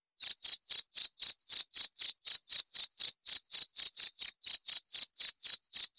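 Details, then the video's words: A cricket gives bright, high chirps in a quick regular series, roughly four per second, with small uneven gaps now and then. No other sounds are present. "30 Menit Suara Jangkrik - 30 Minutes Cricket Sound Effect"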